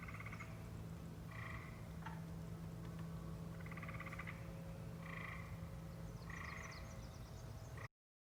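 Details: Wisconsin native frogs call in repeated bursts of pulsed, trilling notes over a steady low hum.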